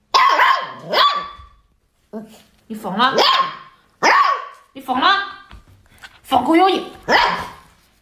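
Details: Siberian Husky. A Siberian Husky puppy barks in bursts of high, strained yelps, several sliding up and down into a whiny, howl-like tone. The calls come in rapid groups with short gaps, and a person speaks briefly nearby.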